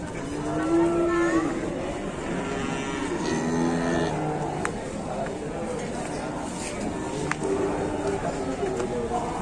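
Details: Super jumbo cattle at a cattle market in Indonesia, where buyers are negotiating, low drawn-out moos with rich harmonics, several overlapping calls from the herd, background chatter and a sharp knock or two.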